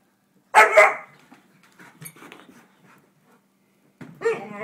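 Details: Pet dog running under a futon indoors, making a sound likened to Charlie Brown's teacher: a loud, harmonic, wah-like vocal burst about half a second long, faint shuffling after it, then a second moaning call near the end.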